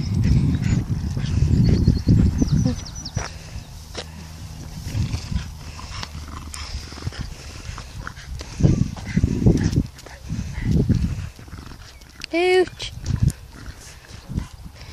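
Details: Male Staffordshire Bull Terrier, described as a very happy dog, gives low, rough grunting growls and one brief high whine while a person talks.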